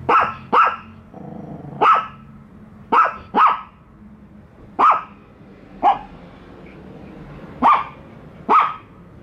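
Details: Pet dogs Bico and Faith, wary of a toy dog at their first meeting, bark persistently: about eleven sharp barks, some in quick pairs, spread unevenly over nine seconds.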